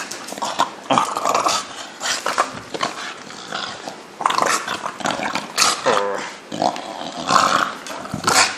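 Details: A 4-year-old male English Bulldog in Taiwan makes gravelly, throaty, snorting growls and grumbles in short uneven bursts, a playful show of mock anger while play-fighting with his owner; a voice and handling noises are heard.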